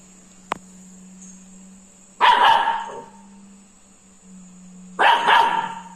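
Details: Labrador Retriever puppy named Krishna, scared of a ladle, gives two bursts of high barking about three seconds apart over a steady background hum, with one sharp click before the first bark.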